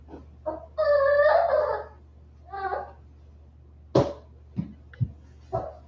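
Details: West Highland White Terrier puppies, 47 days old, indoors after an outdoor break: a loud harmonic whine near the one-second mark, then shorter yelps and soft squeaks, with steady low hum beneath.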